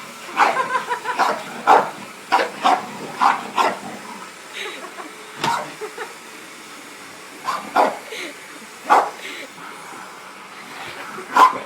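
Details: A female English bull terrier playing with a Hoover vacuum cleaner gives short, sharp bursts of barking and yelping, with people talking nearby.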